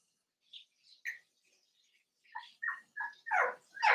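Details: In a home puppy pen, a litter of five seven-week-old blenheim Cavalier King Charles Spaniel puppies. After a few faint squeaks, short yelps build in loudness, coming about every third of a second near the end.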